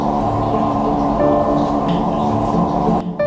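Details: Only resonant, gong-like ambient music is heard, with no animal voice. Low sustained tones fill the whole stretch and cut off abruptly near the end.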